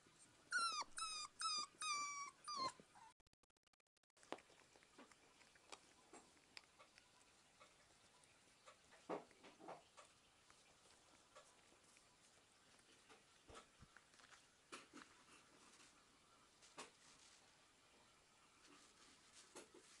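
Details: Jack Russell Terrier puppies, 43 days old, at playtime. Rapid, high, squeaky whines and yelps fill the first three seconds, followed by faint scuffling and occasional soft yips in a quiet setting.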